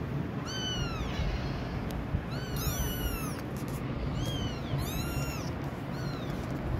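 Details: Kitten crying loudly, a cry said to change the behaviour of adult cats nearby: about five high, arched, wailing meows in two-cry bursts, rising then falling, over steady low background rumble.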